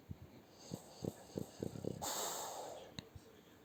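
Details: French Bulldog asleep under its owner's arm, snoring in short snuffling snorts about four per second, then a burst of broad rustling noise and two soft snorts.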